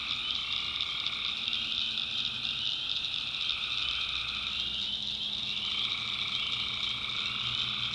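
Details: Night chorus of tree frogs from a North Carolina backwoods swamp: many overlapping high trills merge into a constant shimmering buzz, with a middle layer that briefly drops out near the midpoint before resuming.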